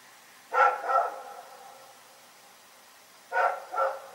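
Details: Night barking from Rex the dog at Pyrga, a pair of loud, ringing barks, then a quiet gap and a second pair, each bark with an echoing tail.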